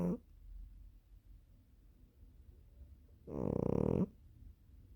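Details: Sleeping cat snoring: one loud, rough, low breathy snore lasting under a second near the end, with quiet room hush and a faint sound at the very start.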